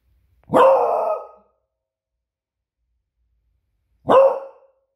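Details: Two loud, resonant barks from a female beagle guarding the home, the first sustained and the second shorter, separated by about three seconds of silence.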